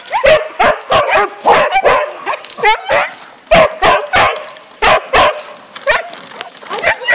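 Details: Huskies at feeding time in a winter husky camp, a chorus of excited dogs giving sharp repeated barks, yips and rising whines overlapping in quick irregular bursts, with some human voices mixed in.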